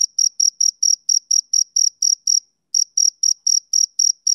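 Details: Rapid, piercing chirps from a male cricket on a summer evening, about four per second, broken by a brief half-second silence midway before resuming; clean recording without other noise.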